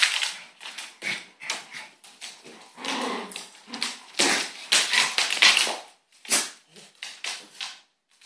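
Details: A little dog and a big dog fighting, the small one biting the larger dog's neck in a death grip; harsh, noisy snarls come in rapid uneven bursts with scuffling throughout and short pauses between flurries.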